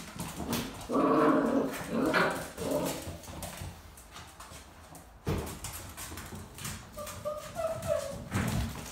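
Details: Dogo Argentino puppies at the vet whine in short bursts, a louder whimpering cry early on and a thinner, higher whine near the end, with scuffling and room noise in between.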